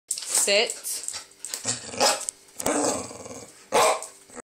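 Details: Pet dog begging for a treat, barking as if saying please: a few short, hoarse barks and growly sounds spaced about a second apart, the last bark loud and sharp.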